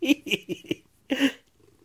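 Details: Shelob, a female pet Maine coon, chirps indoors while being fed treats: a quick run of four short chirrupy notes, a pause, then one longer trilled chirp, with faint rustling after.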